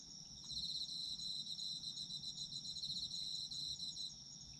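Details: Autumn insects singing together: rapid high-pitched pulsed chirps over a constant shrill tone, brief and dense, soft low rumble in the background.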